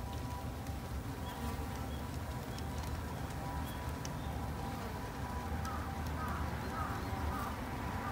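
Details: Garden-kept Japanese honey bees, raised as a conservation effort: a continuous low buzzing drone with a faint steady tone above it and a few brief higher clicks.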